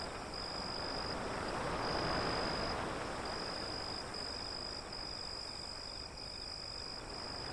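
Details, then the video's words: Crickets beside breaking waves beyond an alley: a thin, high, steady trill running in long bursts with brief gaps, set against a continuous broad roar of surf. "Crickets Sound"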